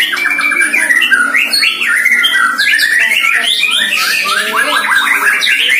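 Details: Caged White-rumped shama, one year old, on its first training session facing a rival neighbour's shama, pouring out fast, overlapping whistled notes, rising slurs and chattering phrases without pause.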